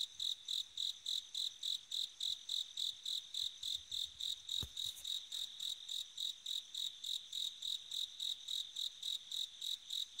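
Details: A bell cricket at night in autumn rings out short, high, bell-like pulses at a steady pace of about three or four per second; one sharp click sounds midway.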